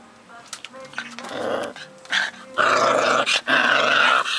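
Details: Four-week-old working mastiff puppy, feisty and confident, growling in play: rough, rasping growls that build into loud, sustained snarling yelps in the second half, with brief breaks between bursts.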